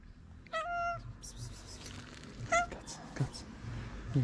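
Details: Hungry stray ginger cat on a street in Morocco, happy to see the person who feeds it: two short, clear meows about two seconds apart, with a woman's voice calling softly and street background noise.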